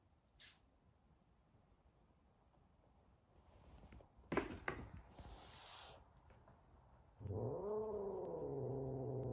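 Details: Big F2 Savannah cat, frightened of a little kitten as Sabian and Sabina meet for the first time indoors; after quiet rustling and knocks, a long, low, harmonic growl rises and sags, sustained for over two seconds.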